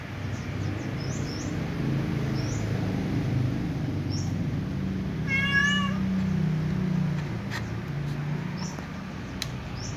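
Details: Cat beside a ginger cat and a white cat eating fried tofu gives a single short, wavering meow midway. Faint high chirps repeat in the background over a steady low hum.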